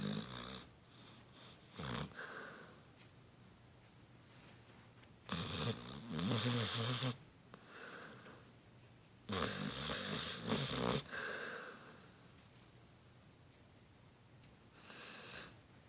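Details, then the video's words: A Beagle-Bloodhound mix dog napping snores in long, rough, rumbling breaths with quiet pauses between them. "Beagle Bloodhound Snoring"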